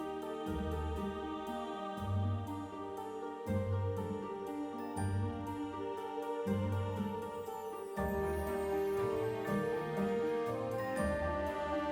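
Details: Soft melodic background music with sustained tones and a repeating low pulse, with no animal calls.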